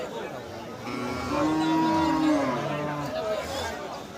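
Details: Cattle at the Madarganj cattle market in Thakurgaon district, Bangladesh, on 12 March: a long drawn-out moo with a steady tone that swells and fades over about three seconds, with crowd chatter and market noise behind it.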